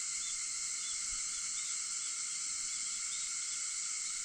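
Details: Cicadas singing at 4:50 in the early morning on August 4: a steady, dense, high-pitched shimmering drone that holds without pause, with faint brief chirps flickering on top.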